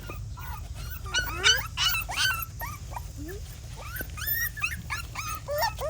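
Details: Dog giving rapid, rising whines and sharp yelps, about three per second, some sliding upward, with a faint voice and a low hum beneath.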